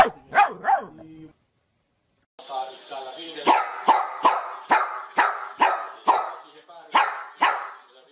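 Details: Dogs from a funny barking compilation: two or three short, sharp barks, a pause of about a second, then a steady run of about ten loud, clipped barks spaced roughly half a second apart.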